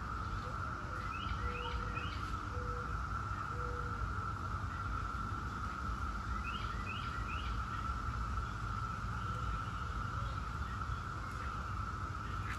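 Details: A steady, droning chorus of 17-year periodical cicadas of Brood X hums on without pause, with a few birds chirping over it.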